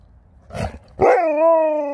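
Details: Sherpa the dog gives one long, drawn-out harmonic yowl that starts with a sharp rise and then holds a steady, slightly wavering pitch for about a second. A brief rustling noise comes just before it.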